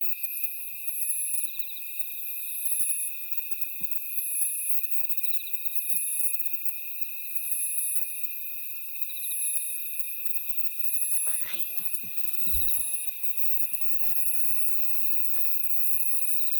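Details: Grass insects calling on a summer night along a mountain path on Woraksan, Korea. A steady, high, shimmering chorus of pulsed trills in several stacked layers throbs in regular waves. Footsteps and rustling join in the second half.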